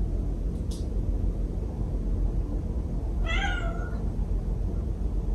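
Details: Mia, a white house cat with heterochromia (blue left eye, green right eye), reacting to an invisible wall of cling film; a single clear harmonic meow about three seconds in, bending slightly downward, over a steady low indoor rumble.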